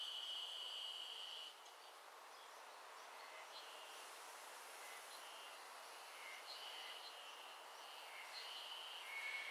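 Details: Ezo Haruzemi cicadas singing in the afternoon in a garden in Hokkaido, Japan, a sound of early summer; several overlapping buzzy, warbling phrases rise and fall in repeated bursts over steady broadband hiss.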